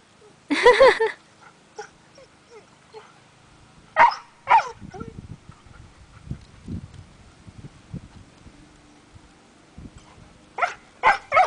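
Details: Weimaraner kept apart from a husky by a fence, unable to play, giving a few sharp barks and yips with quiet whimpers and shuffling between.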